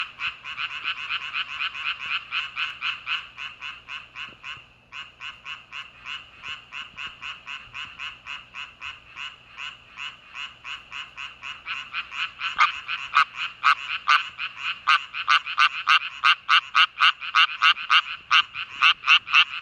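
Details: Japanese tree frogs chorusing on a farm after rain: dense, rapid rasping croaks, about four a second, overlapping in a steady pulsing run that grows louder in the second half.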